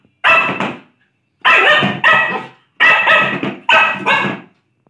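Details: Playful Lhasa Apso giving loud, rasping barks in quick pairs: one double bark, a pause, then two more doubled bursts, each bark full and harsh, with silence between groups.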